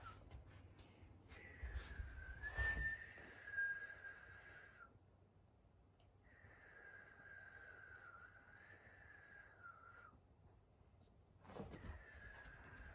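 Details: Indoor Akita-inu whining: two long, steady, high-pitched whines, each several seconds, slightly wavering; the household has Patako, a brindle female aged four, and Komugi, a red female aged three. A couple of soft knocks are heard.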